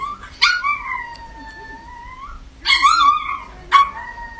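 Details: Chihuahua: a yelp opening into a long, level, whining howl, then a second wavering howl and a short final yelp, over a faint steady hum.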